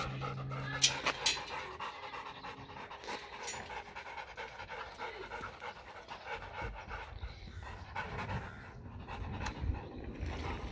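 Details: German Shepherd x Labrador dog at playtime, panting in quick rough breaths about twice a second, with a brief tonal squeak near the start and rustling handling noise throughout.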